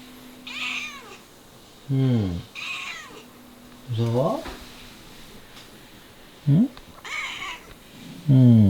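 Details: Domestic cat meowing insistently indoors, nagging and scared after noisy air-conditioner cleaners visited; several loud rising-falling meows with strong harmonics, some short and some drawn out, between quiet murmured human replies and a steady low hum.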